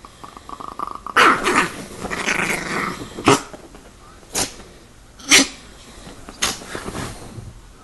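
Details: Attacking Chihuahua growling in a long rough snarl, then sharp barks roughly once a second, each loud and brief, with faint speech in the background.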